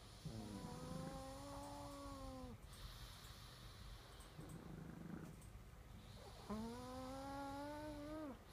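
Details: Snoring pug. Two drawn-out nasal breaths, buzzy and tonal, each about two seconds long and separated by a quieter pause. A low room hum runs underneath.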